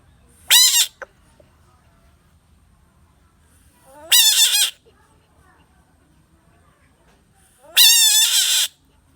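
A bullfrog gives three loud, high, wailing screams, each lasting about a second, several seconds apart.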